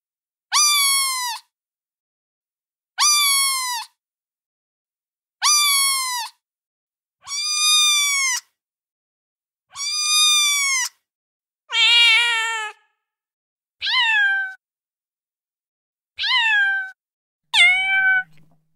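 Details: A steady series of kitten meows calling for the mother, evenly spaced about every two to three seconds, each arched and bright. Later comes one rougher, buzzier cry, then shorter, higher, quicker meows near the end.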